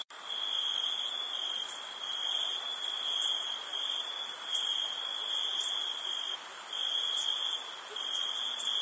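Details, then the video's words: Crickets at night in summer at a campsite, an unbroken high-pitched buzzing trill with two layered tones, the upper one faintly pulsing every second or so, after a brief silent start. "NIGHT CAMPING CRICKET NOISE"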